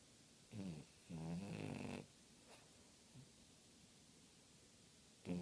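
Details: Snoring French bulldog: two buzzy, rough snores in quick succession, the second longer and louder, then a faint snort and a fresh snore at the very end, separated by quiet pauses.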